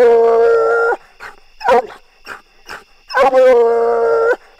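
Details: A Bluetick Coonhound bays at a treed quarry during a coon hunt near Rock Creek Country Club, giving long, steady, mournful bawls with short gasping breaths between them.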